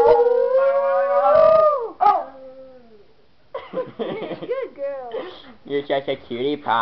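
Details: Miniature Schnauzer dog howling along to a tune: a long sliding howl that falls away, a brief yelp, then a string of short choppy yowls and yips rising and falling in quick succession.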